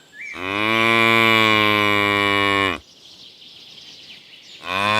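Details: Calf mooing on a farm: one long, steady, richly harmonic low moo lasting over two seconds, then a quiet pause before a second moo begins at the end.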